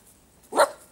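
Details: Puppy giving a single short bark, a sharp burst lasting about a quarter second in an otherwise quiet room.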